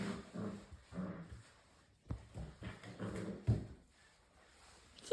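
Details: Young English Springer Spaniel puppies at six weeks of age produce soft, low grumbling growls and whimpers in short pulses about a second apart, with thumps and a quiet indoor background.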